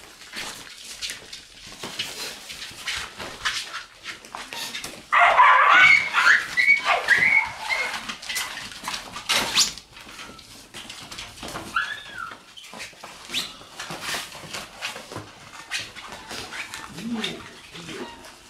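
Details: Shiba Inu puppies in their puppy room on November 27, reacting after a tent was put in. Brief high whines and squeals, some falling in pitch, rise over constant scuffling, clattering and rustling, with a louder burst of activity midway.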